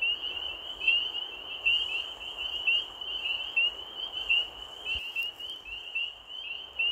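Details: Late-night frog chorus with a continuous high, shrill band of rapid chirps, brighter accents roughly every second, over a dense background buzz and one brief low knock midway.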